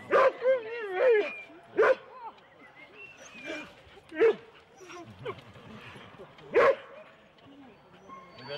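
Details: Husky sled teams of four dogs starting out at Rendlesham in January 2016, on analogue cassette tape. Irregular loud barks come every second or two with a few short whines, over a murmur of people.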